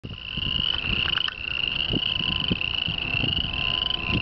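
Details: Male tree frogs calling for females from a grassy swamp ditch leading into town; a loud, dense chorus forming a steady high trill with scattered clicks and rustling underneath.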